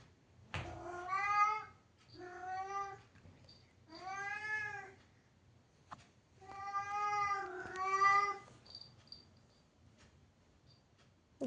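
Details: Indoor cat, angry at being locked in and unable to go out, gives five loud, wavering meows in quick succession, the last two almost running together, then falls quiet; a click at the start.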